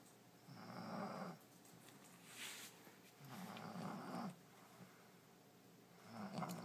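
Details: French Bulldog named Allie, fast asleep in her new bed indoors, snoring in rough, rasping breaths roughly every three seconds, with quiet pauses between each snore.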